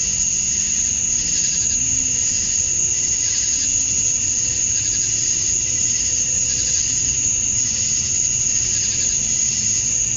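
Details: Dusk cicada chorus in Georgia, USA, males calling to attract females on a summer night; steady shrill whine with slow swelling pulses, while faint low tonal hums drift beneath, possibly distant traffic.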